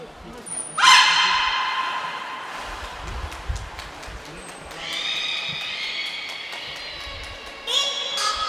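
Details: At Port of Nagoya Public Aquarium on 25 February 2024, Niko the beluga gives calls in training: a high whistle blast, a strong harmonic squeal, softer murmurs and voices, then further tonal, nasal calls.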